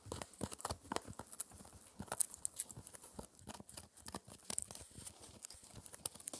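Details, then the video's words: Four-month-old Shetland Sheepdog chewing a raw dried ear dental treat inside; busy, loud crunching and tearing with quick bursts of snapping bites, some strong single cracks, continuous through the stretch, no speech. "Puppy Dog Eating Raw Ear (Lamb Venison Beef or Pork) Oddly Satisfying Chewing Sounds"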